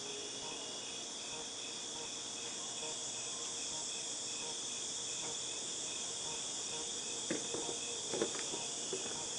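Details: Steady shrill buzzing of cicadas, August 2018, runs unbroken throughout; near the end several short knocks and clatters break in below the constant high-pitched drone.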